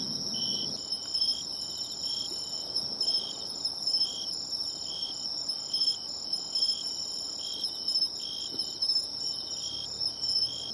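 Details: By the sea, a bell cricket located by ear gives short, bell-like ringing pulses spaced about a second apart, steady and regular, with a faint chorus of other insects and a soft rustle at the start.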